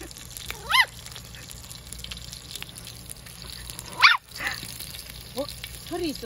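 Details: Pomeranian loudly barking at its dad to demand meat: short sharp yapping barks, one early, a strong one near four seconds, then quick rising yips toward the end, with a person talking to the dog in Korean.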